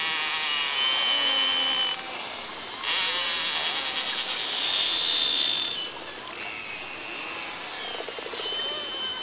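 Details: Beluga whale vocalizations played back, used in social communication: several steady high whistles held for about half a second, mixed with dense buzzy pulse trains and chirps that shift in pitch, over a constant hissing background.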